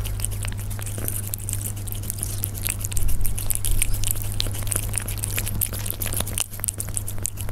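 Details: Persian cats eating up close: scattered crunchy bites and ticking chewing noises, a little louder around the middle, set against a continuous low drone.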